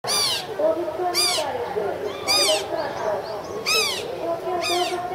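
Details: Asian small-clawed otter at Ueno Zoo, March 2016, giving shrill, harmonic squeaking chirps about once a second, with softer chatter beneath.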